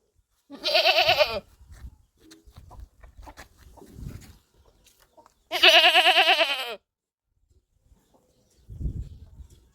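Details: Goat bleating twice, loud trembling cries with strong vibrato lasting about one second each, roughly five seconds apart, with soft knocks and shuffling in between.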